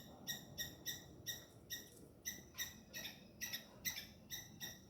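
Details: Squirrel shouting at a chasing cat on hidden camera: spaced, sharp chip calls about two per second, each a brief ringing note, over quiet low background noise.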